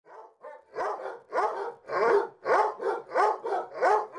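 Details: Two basset hounds barking together after the lights go out: deep, rough barks in a fast run of about nine within four seconds, each with a gruff harmonic tone, some slightly overlapping.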